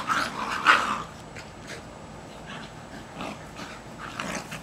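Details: A pair of Jack Russell Terriers just over one year old wrestle over a tug toy in a Kansas back yard, July 2008; a sharp, loud growling snarl opens, then softer scattered growls and rustling follow.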